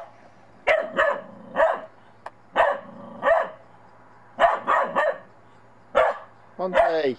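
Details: Bedlington Terrier puppy in snow for its first time, wary of a little snowman, barking in short, clipped yaps grouped in clusters with pauses between, ending in a higher whining note, while a person talks.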